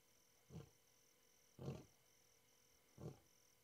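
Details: A lion, heard on an African safari game drive, gives three deep, grunting roars, each a short low burst about a second apart.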